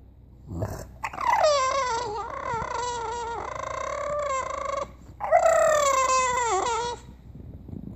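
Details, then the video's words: A bulldog's drawn-out, wavering vocal moans, harmonic and nasal, in two long phrases of about three and two seconds with a short break, sounding like talking or crying, in a quiet indoor room. "Talking bulldog"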